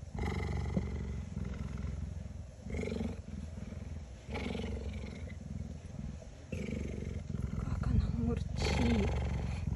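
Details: A female cheetah lies resting on a hot day, purring loudly and steadily with a deep rumbling throb while a woman talks softly to her in Russian nearby.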